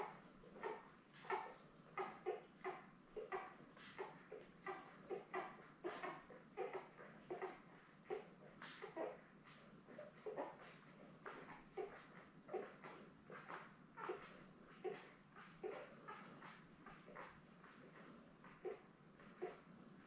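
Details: Litter of seven newborn Labrador Retriever puppies born May 24, 2021, lying with mother Belle indoors; a steady stream of short squeaky whimpers and cries, close together and uneven, continuing throughout.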